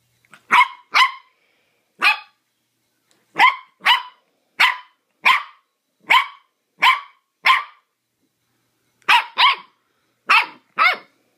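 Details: Zoe, a mini dachshund puppy, playing wildly: sharp high-pitched barks in quick pairs and singles, about fourteen across the stretch, each short and bright, with brief silent gaps between.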